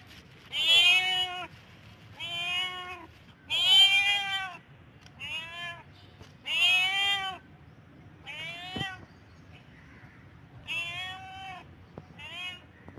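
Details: Domestic cat in heat calling repeatedly: about eight loud, whining meows that bend up then down, some short and some drawn out, separated by short pauses in a quiet room.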